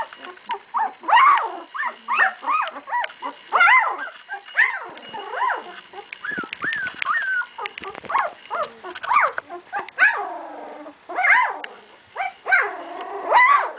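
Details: Two-week-old puppies, offspring of Sami and Drake, giving arched squealing whines one after another, each rising then dropping, in bursts roughly every second with short quiet gaps between.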